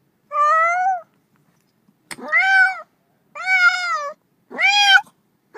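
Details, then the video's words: Cat meows, four long, steady, clear calls with strong harmonics, the later ones rising sharply at the start then leveling, separated by brief silences and a single click. "30 minutes of Cats' Meow"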